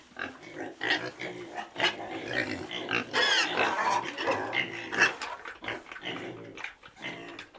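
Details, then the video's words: Pig calls in quick succession, short harsh grunts mixed with brief shrill squeals, about two per second, continuous and rough-textured throughout. "Pig sound effect"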